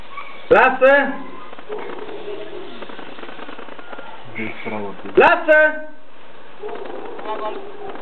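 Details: Paco, a one-year-old male Rottweiler, during attack-command sessions with a dog trainer in 2010. Two loud, rough, harmonic barks, about 4.5 seconds apart, with a person's voice giving Romanian commands in between.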